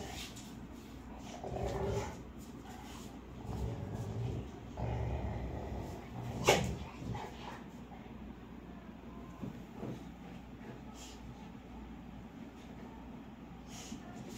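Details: Labrador and American Bully playing together: low rough growling and scuffling throughout, rising in bursts, with one sharp bark near the middle and a few softer yips.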